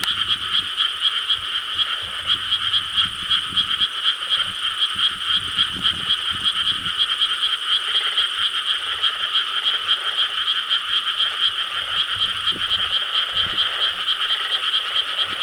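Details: Frogs croaking en masse in Korean rice paddies on the night of 4 July 2013, an even, continuous trilling chorus of countless overlapping voices, with occasional faint low sounds in the background.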